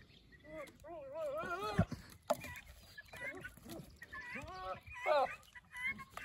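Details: Two Nigerian Dwarf goat bucks, heated and fighting over a nanny after one learns she has been bred; wavering, quavering bleats rise and fall in bursts, some high and strained, with several overlapping calls across the clip.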